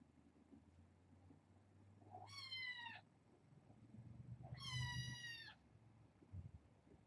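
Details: Kittens from a litter of four females and two males, indoors at bedtime with a person present; two drawn-out, high, harmonic meows about two seconds apart, with low rumbling handling noise beneath.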